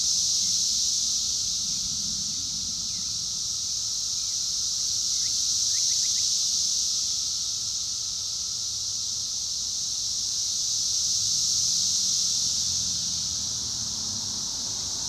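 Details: Cicadas drone in a loud, steady, high-pitched buzz that swells and fades slowly, drowning out a mockingbird's song.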